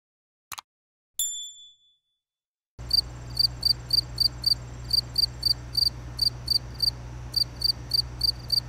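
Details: A couple of sharp clicks and a brief metallic ring, then a cricket starts up with quick high chirps, often in pairs or threes, over a low background hum.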